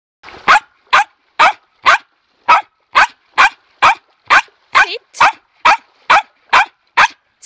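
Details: Pet dog barking from pure anticipation and joy over toys such as sticks and balls during calm training: sharp, loud barks repeated steadily, about two per second, sixteen in a row with short silences between.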